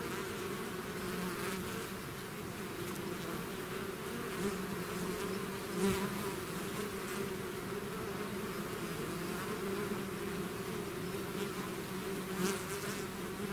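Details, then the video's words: Swarm of bees out of its hive, a dense continuous buzzing drone with steady low hum bands and harmonics, occasional brief louder passes of individual bees, no other sounds. "bees therapy swarm natural buzzing sound"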